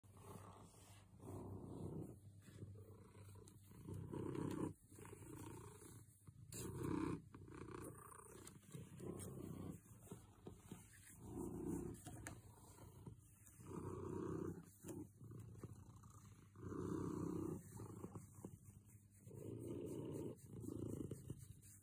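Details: Domestic cat described as very happy, purring close up: a low, rough rumble in swelling bursts of one to two seconds, each separated by a short pause for breath, repeating steadily throughout.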